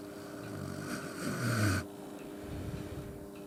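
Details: Yuki, an Akita dog, asleep by the stove on a snowy, quiet night, sharing a warm futon with its owner. It gives one long, deep, rasping snore that swells and then stops abruptly, followed by faint room hum.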